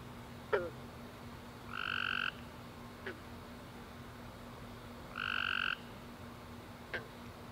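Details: Tree frogs calling at night after a warm rainy summer day; two separate buzzy, steady trills of about half a second each, several seconds apart, with faint sharp clicks between them over a quiet background hum.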